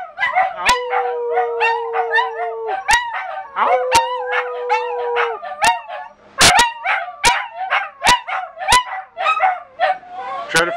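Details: Three dachshunds and a Scottish terrier in a room in North Lexington, NY, howl together in long, quavering wails that slide up and drop away. Quick barks and yips punctuate the chorus over a steady held musical tone.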